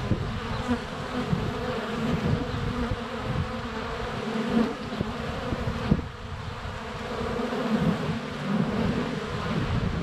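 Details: Many honey bees in flight around the hive entrance, filmed in February sun with a GoPro Hero 7 Black under a foot from the hive; an unbroken low buzzing that swells and dips, with bees occasionally bumping the camera.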